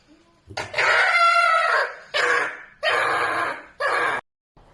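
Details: A pet red fox gives a series of harsh, raspy screams while sleeping, one long cry followed by three shorter bursts.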